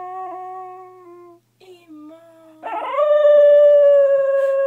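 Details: Sleeping dog singing: a few level held howl notes, a brief dip, then a rising yowl that settles into a long, loud, steady howl; quiet indoor setting.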